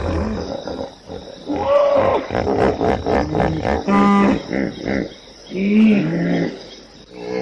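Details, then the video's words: Hippopotamus honking in a pulsed series: short rising-falling honks, then a quick stuttering chain of grunts, a steady braying note, and a final pair of honks. "som de hipopótamo, Hippo Sound"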